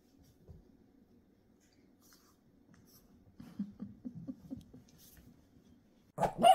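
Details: Boston Terrier puppy Busby, seven weeks old, takes on his 7-month-old Great Dane brother Cooper while Kevin watches over; low rapid playful growling in quick bursts, a pause, then one sharp, loud bark at the end.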